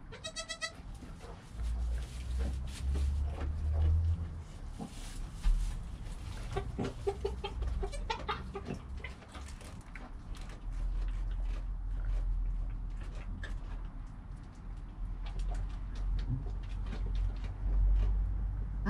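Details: Goat kid named Joel in his first hour of life, mother Penny calm nearby, recorded with a GoPro; a brief bleat opens, then a few faint wavering calls follow amid constant low rumble and rustling.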